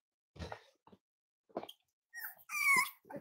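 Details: Five-week-old Cavalier King Charles Spaniel puppies from Myra and Remy's litter, indoors at Red Barn Cavaliers on a chilly Thursday morning. Soft scuffling gives way to one loud, high, slightly falling whine near the end.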